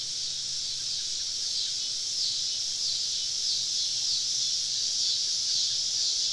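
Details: Many cicadas surrounding a woodland camp on a southern summer evening, producing a continuous shrill buzzing wall of sound with faint rhythmic pulsing waves running through it.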